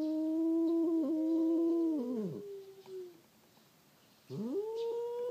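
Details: Fighting domestic cats, a black-and-white cat and a tortoiseshell that regularly quarrel, give low sustained moaning yowls that waver, then slide downward into a growl, pause, and swell again into a rising wail.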